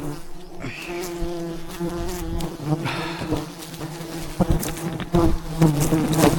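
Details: Thousands of wild bees swarm around a giant hive high in the mountains during a traditional honey harvest, producing a steady low droning hum with layered overtones, broken by sharp knocks and rustles of handling.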